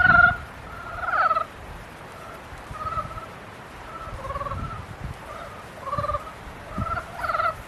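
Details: Frogs in mating season give scattered nasal, pulsed calls, brief harsh bursts separated by quieter gaps, with several callers overlapping softly in the background.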